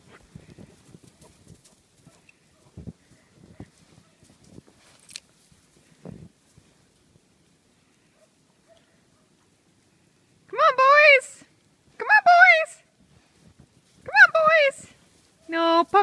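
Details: Giant Schnauzers having fun outdoors in the snow. Quiet rustling and footsteps fill the first ten seconds. Then come four loud, wavering, whining yowls, each under a second long and spaced about two seconds apart.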